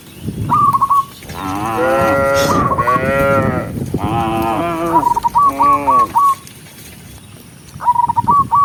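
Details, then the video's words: A group of tame cows walking home along a countryside path as the sun sets, calling to the herd: a run of deep, drawn-out harmonic moos, with brisk repeated whistled notes at the start, middle and end. "with the sound of cows, cow Sound"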